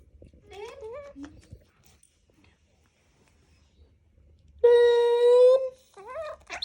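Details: A baby monkey wanting to hug a boy gives tonal, wavering coos that rise and fall, ending with one long steady cry.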